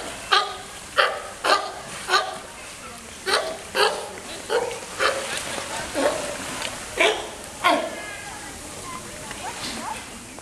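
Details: California sea lions at Wuppertal Zoo: a pup born 8 June 2013, under two months old, challenges an adult for the artificial floating island in their enclosure. About fifteen hoarse, harsh barks come roughly every half second to second.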